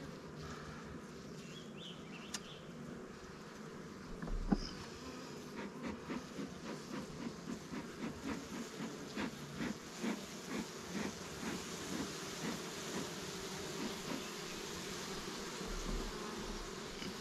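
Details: Honey bees at newly captured swarm hives, Langstroth and Warré, in an apiary while frames are handled: a steady low droning hum with a series of soft rhythmic knocks and clicks through the middle.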